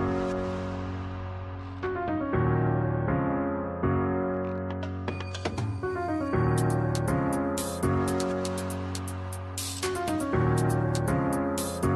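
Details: Steady electric piano music with repeated chords and a bright rising run fills the whole stretch.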